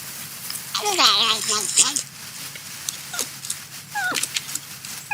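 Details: A porcupine eating corn lets out one drawn-out, quavering cry with stacked harmonics, followed by a few brief downward squeaks and crunching bites.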